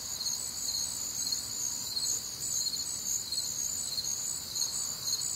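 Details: Crickets calling in a warm Midwestern summer night, a bright, high chirping chorus pulsing near two beats a second, steady and layered with no other clear sounds.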